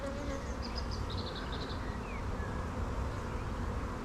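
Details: Dense, continuous low hum from a honey bee colony, heard while its hive sits open for inspection in an apiary with no queen yet found; light high bird chirps come through near the start.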